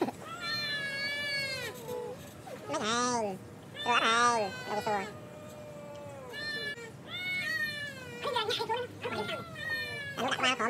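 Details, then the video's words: Two village cats fighting over a female trade long, wavering caterwauls. Drawn-out moaning howls rise and fall, broken by sharper bursts of harsh, arching cries in quick succession. "Two Cats fight each other for beautiful girl [Cats Battle]"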